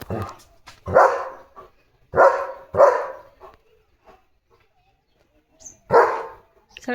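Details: Leo the German Shepherd barking to chase other dogs from the gate; four loud, separate barks spaced one to three seconds apart, with a person talking in between.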